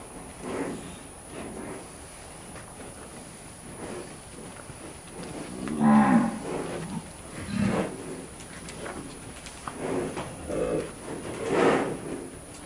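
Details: Brahman cattle herd on a ranch during a penning and working demonstration; several low moos spaced a second or two apart, the strongest near the middle, over steady background noise.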